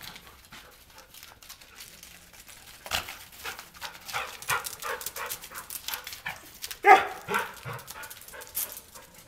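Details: Border Collie playing in falling snow, snapping at snowflakes; steady scuffling and panting-like noise builds midway, then a single short, sharp bark near the end, followed by quieter yelps.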